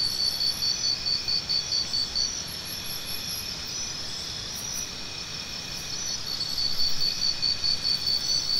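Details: Rapid high chirps from a cricket open the recording, fade into a continuous shrill insect hum, then return as evenly spaced pulses near the end.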